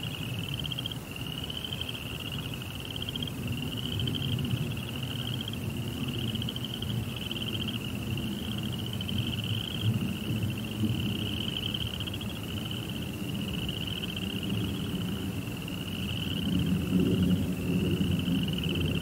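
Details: A high, rapidly pulsed cricket trill goes on through the night with only brief breaks, over a louder, steady low rumble that swells toward the end.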